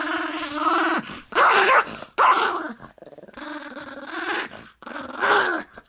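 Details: Toy fox terrier named Shivers growling in long low rumbling bursts of about a second each, broken by short pauses, while chewing a bone; a person's voice speaks softly between growls.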